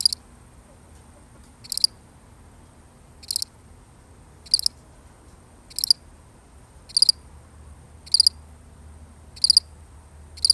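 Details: A single lonely cricket chirps in a real recording, with sharp high trilled chirps repeated about every 1.2 to 1.5 seconds, fairly even, and a low faint hum underneath.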